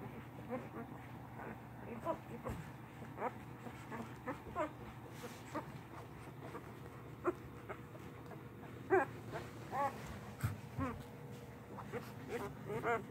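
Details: Newborn English Mastiff puppies from a litter of eight, three males and five females, born on Halloween night in late 2019, let out faint, scattered high squeaks and whimpers over a low steady hum, with a few louder cries near the end.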